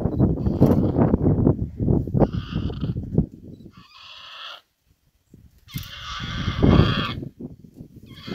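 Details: Warthog wrestling a big male leopard that has caught it, South Africa. Loud low grunting scuffles alternate with short nasal squealing bursts, the longest near the end, over rough thrashing noise.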